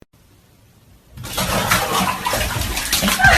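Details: Near silence gives way after a second to loud running, splashing water with a hint of speech, and no animal sounds.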